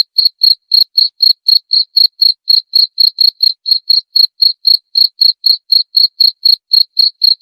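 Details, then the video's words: Insect chirp meant to drive rats away: a long unbroken series of high, ringing cricket pulses, about four each second, steady and clean throughout with nothing else heard. "Cara ampuh usir tikus dengan suara jangkrik"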